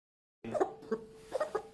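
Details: A female domestic cat coughs in short, hoarse, rasping bursts. She was diagnosed with laryngitis/tracheitis, suspected to come from eating an irritant indoor plant.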